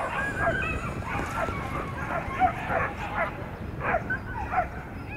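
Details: Male whippets in class A at a race in Berlin-Brandenburg, race 10, giving excited overlapping yips and barks in quick bursts of rising and falling tone, with a noisy low background rumble throughout.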